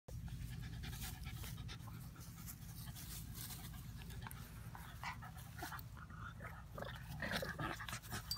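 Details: Playing puppies, an Old English puppy and a mutt, pant steadily amid scuffling, rustling and a low continuous hum throughout.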